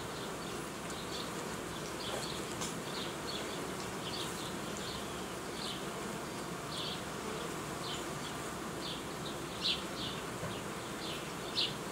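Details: Honey bees in an apiary where colonies are united and queens renewed: a steady broad hum throughout, overlaid by frequent short high chirps, about thirty a minute, irregularly spaced.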